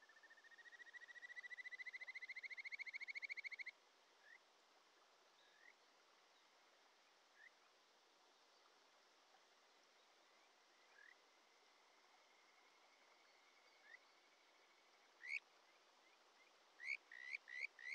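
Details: Kajika frog calling beside a mountain stream in Japan's Shin'etsu region in early July: a loud, fast trill of ringing notes for nearly four seconds, then scattered single short upslurred notes, with a quickening burst near the end, steady stream noise throughout.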